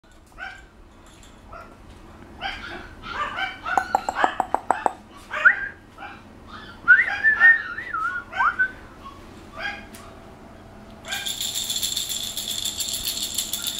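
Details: Kitty, a female puppy two and a half months old, filmed on 3/10, gives a run of high, irregular whines and short yelps, some sliding up and down, before a loud rattling noise takes over near the end.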